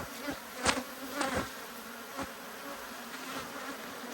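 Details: Honey bee hive hum during an inspection of two hives that are annoyed at being opened, March 2022; a soft, even drone with a few sharp clicks and faint knocks.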